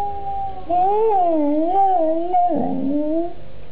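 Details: A cocker spaniel howls along in response to another cocker spaniel's singing played on a computer. One sustained, gently undulating howl rises and falls, then ends in a rougher, lower dip before trailing off.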